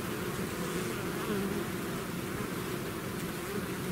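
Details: Honeybee swarm leaving its hive, natural recording: a dense, continuous low drone of many wingbeats layered into steady humming bands, with individual bees buzzing past, no other sounds.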